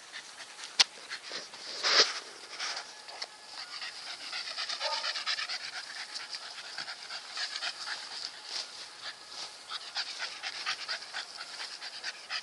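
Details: Nikita, a Staffordshire Bull Terrier, pants hard and rhythmically, quick breathy puffs running throughout, a sharp click and a louder burst early on, and a short high whine-like tone in the middle.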